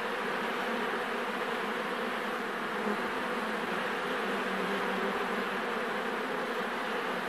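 Thousands of honey bees fill the air with a continuous, even drone. The massed wingbeats blend into one warm, unwavering buzz with no pauses or other sounds standing out.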